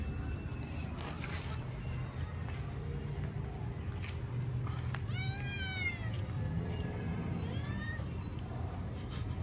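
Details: Aggressive cat during a fight gives one drawn-out wavering caterwaul with strong layered harmonics, swelling and falling near the middle. A softer rising meow-like note follows, over a steady low rumble of background noise.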